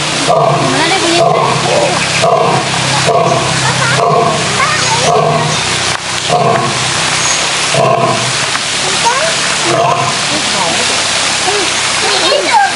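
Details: Zoo-kept male lion giving a series of short, deep, puffing grunts about once per second, a rhythmic pulsing sequence, with visitors talking throughout in the background.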